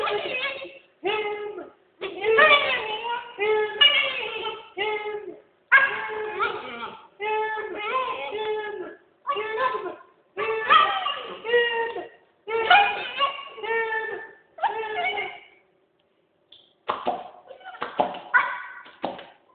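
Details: Husky vocalizing indoors while communicating with its owner: a long run of short, harmonic, talk-like woo sounds in uneven bursts, with brief pauses and a longer gap near the end, in a small, quiet room.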